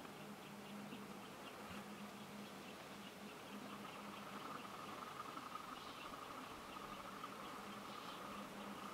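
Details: Leafcutter bees building nest chambers in old holes in a brick wall; a low, steady wingbeat buzz comes in stretches of a second or two with short breaks, over a constant outdoor hiss.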